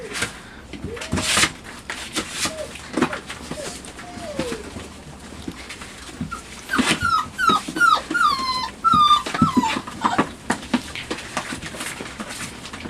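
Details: Five-week-old Labrador Retriever puppies in their night kennel, investigating a box and playing; scuffling and rustling at first, then a run of short descending whimpers around the middle, with faint soft whines earlier.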